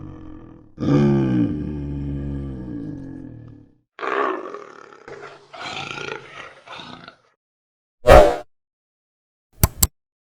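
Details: Leopard, given as a real recording, producing a long, low, rough growl lasting about three seconds. A few shorter grunting bursts follow, then silence broken by two sharp clicks.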